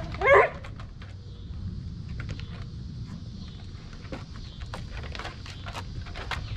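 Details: Basset hound from a group of pet hounds playing in the rain in hot east Tennessee; one sharp, harmonic yip at the very start, then only pattering raindrops and a faint steady hiss.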